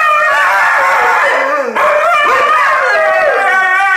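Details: Indigenous Labrador Husky guarding a box of cinnamon Timbits. It gives a continuous, loud, whining howl that bends in pitch, dips briefly midway, then resumes in wavering, yodel-like tones.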